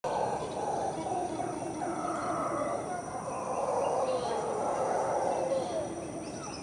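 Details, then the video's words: Howler monkeys heard at 5:00 am among unbelievably loud jungle sounds: a continuous, deep, rumbling roar that swells and fades slightly over several seconds, with faint higher calls in the background. "Howler Monkeys in the early morning"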